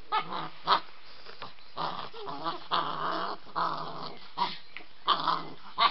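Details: During an evening play session with Samo, White Swiss Shepherd puppy Iwan is wound up: rough, rumbling play growls run almost continuously, broken by sharper yelping barks at intervals.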